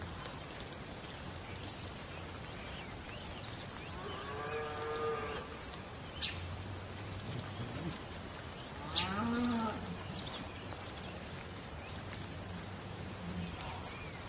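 A bull gives two deep, drawn-out moos, the second rising then falling in pitch.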